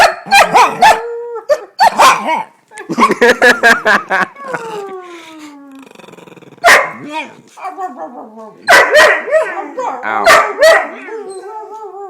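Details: Several dogs howling like wolves, long sliding tones that fall in pitch, mixed with short sharp barks and yelps in bursts, overlapping voices, with brief quiet gaps between outbursts.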